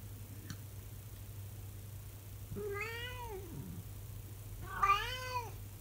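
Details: Elderly calico cat, 24 years old, giving her daily morning howl indoors at six in the morning; two drawn-out, arching, tonal wails with rich harmonics, the second rising higher and louder, over a steady low hum.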